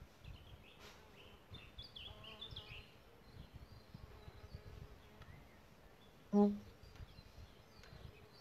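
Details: Solitary bees nesting in a bug hotel: one short, loud, low droning buzz of a bee passing close, with a fainter hum earlier, over steady background hiss and light bird chirps and twitters.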